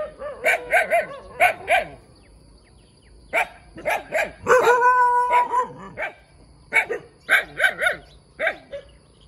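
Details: Small puppy barking in quick doubled and tripled yaps, pausing, then a sustained howling yelp before more rapid barks.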